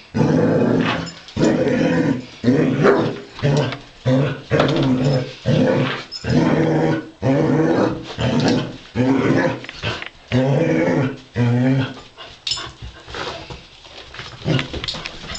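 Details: Female Basset Hound playfully fighting with a robot dog indoors, giving loud, harmonic growling barks in a steady rhythm, about one burst per second, a dozen in a row before trailing off into softer grumbles.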